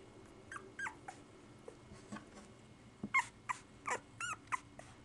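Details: Seven one-week-old Pit Bull puppies making thin, squeaky whimpers and short rising-falling squeals, scattered at first and then coming in a quicker cluster near the end, over a faint steady hum.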